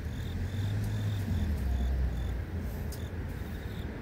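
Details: Grass insects in the city give thin, high chirps, short pulses repeated steadily several times a second, over a heavy low hum of traffic; mosquito-fogging motorbikes and other vehicles also pass.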